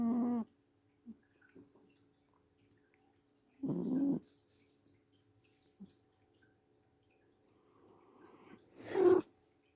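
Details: Mocha, a pet cat asleep and snoring loudly indoors, giving drawn-out, buzzy snore sounds at intervals of several seconds with faint breathy noises in between, followed by a brief louder rustle near the end.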